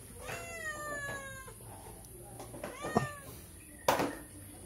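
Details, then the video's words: Cat begging for food by a house: one falling meow at the start, followed by softer brief sounds, a few sharp knocks and a woman's voice. "Kucing Lewat Pingir Rumah Mengeong minta makan"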